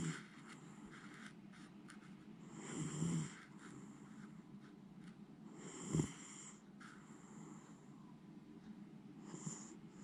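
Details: Sound asleep and undisturbed, Jiji the pet Miniature Schnauzer snores in deep, rasping, throaty breaths, about three separated snores over ten seconds with soft indoor quiet between them.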